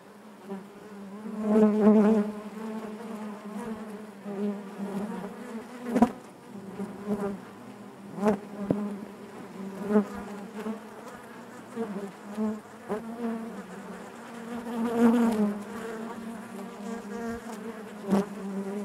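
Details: Honey bees buzzing inside their hive, a dense steady drone with a low hum and stacked overtones, swelling louder in brief surges around the second and fifteenth seconds, with occasional sharp clicks or taps.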